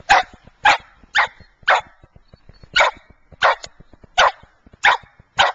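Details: Fergus, a white Scottish Terrier in Wellsville, New York, barks nine times in under six seconds: sharp, rough, mid-pitched yaps spaced roughly half a second apart, with a short pause midway and a quiet background.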